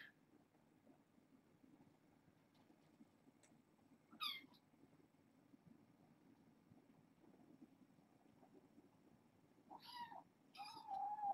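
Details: Young kittens born August 29th, a litter of four females and two males newly taken in as fosters, at bedtime snuggles; a couple of brief high harmonic mews around four seconds and near ten to eleven seconds over a low steady background hum.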